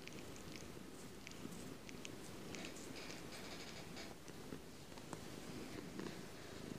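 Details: Close-up purring of a pet cat, a continuous low buzzing rumble that holds steady for the whole stretch, overlaid with frequent small clicks, ticks and rustles.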